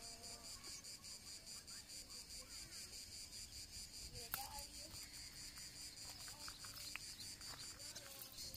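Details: Cicadas sing in chorus on a summer morning on the Janiculum Hill in Rome, a shrill, pulsing, high-pitched buzz that runs without a break.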